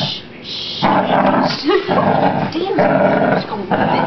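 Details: Precious the beagle, wet from a walk in the rain and now toweled dry, lets out long rumbling growls in three drawn-out stretches, broken by a short rising voice and faint rustling.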